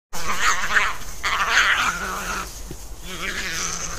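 European badgers fighting, giving harsh, raspy screams and squeals in quick, overlapping bursts.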